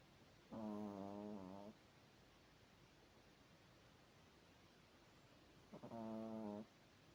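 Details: Izya, a sleeping Chihuahua, snoring: two drawn-out droning, buzzy snores, each just over a second long and about five seconds apart, separated by quiet breathing hiss.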